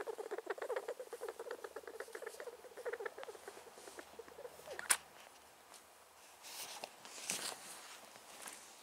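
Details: A male rat that may be sick and seems to sneeze, producing quick trains of short squeaky clicks for the first few seconds, then fading into soft rustling and handling noises with a sharp knock.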